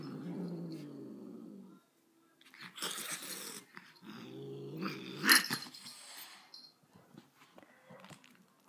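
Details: Dog growling angrily indoors, a low sustained growl, a pause filled with scuffling and clattering, then a second rumbling growl and further rustling noises.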